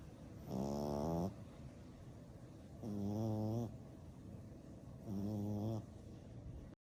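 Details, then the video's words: Black and brindle French Bulldog pup, ten weeks old, napping and snoring: three steady, grating snores about every two and a half seconds, low and nasal, with hushed inhalations in the gaps. "Frenchie Puppy Baby Sleeping and Snoring"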